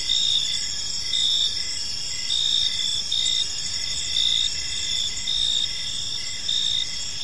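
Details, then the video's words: Several crickets chirp in a park as evening falls; shrill continuous trills layered with evenly spaced pulsed chirps, louder bursts about every second, gentle low background hum. "Park Serenade: Cricket Sounds in a Peaceful Park | Evening Ambience"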